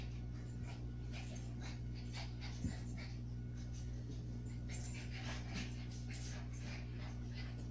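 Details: Two dogs at play, a Shih Tzu and a Havanese, panting and whimpering in short irregular bursts, with a constant low hum beneath and one sharp knock near the middle.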